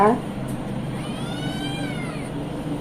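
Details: Male house cat asking for milk from the kitchen: a short burst of human speech, then a drawn-out harmonic meow that rises and gently falls over about a second, against a steady low hum.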